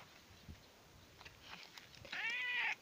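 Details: Housecat meowing in a garden where its owner went without it; after quiet rustling and faint clicks, a single loud, arched, harmonic meow near the end.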